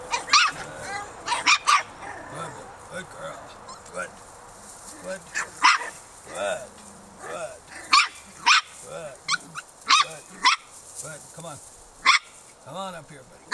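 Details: Four-week-old Norwegian Elkhound puppies from one litter, walking for only about a week, give short, high yips and thin whines in scattered bursts, with people talking and sharp clicks in the background.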